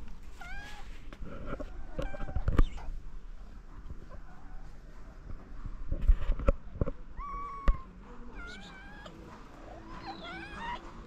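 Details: Hungry stray cats in Morocco being fed, giving several rising and falling meows, some wavering and drawn out, amid handling noises and low rumbling background sound.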